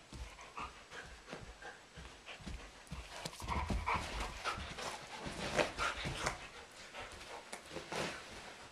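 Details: German Shepherd and Doberman, Sugar Tree and Blondi, wrestling energetically in a living room in April while two young sheep look on; heavy panting, snorts and short scuffling bursts, with paws thumping and clattering on the floor throughout.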